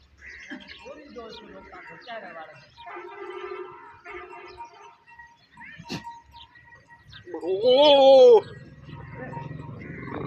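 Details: Goat giving one loud, wavering bleat of about a second near the end, strongly harmonic with a quavering tremble. It follows a stretch of faint human voices and soft music-like tones.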